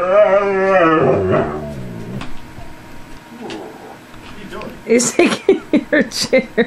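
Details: Tundra, a pet husky, talks with his dad indoors while pushing him off a chair. The husky opens with a wavering, harmonic woo-woo moan lasting under two seconds. Human speech, clicks and tapping follow.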